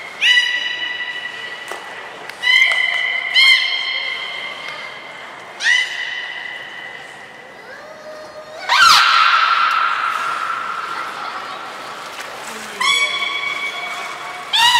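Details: Beluga whistles during training of Hodoi, Gray and Mirai at Port of Nagoya Public Aquarium, 1 December 2019: repeated rich harmonic squeals, some rising, one longer bright buzzy burst midway, with quieter gaps and hall reverberation.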